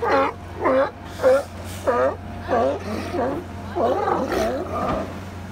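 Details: Several California sea lions napping at Second Beach in Powell River, BC, call in a rapid series of raspy, nasal barks. The barks blur into overlapping, gargling calls toward the end, with a constant low drone behind.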